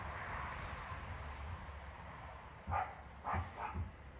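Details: Dogs from a group of rescued Caucasian Shepherds, Mioritic Shepherds and strays: after a stretch of low rumbling background, three short, deep barks come in quick succession near the end.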